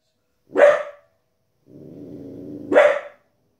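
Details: Female Border Collie puppy, 15 weeks old, barking indoors at wolves and other animals on television: two sharp, loud barks about two seconds apart, with a low murmur of the programme's narration and sound between them.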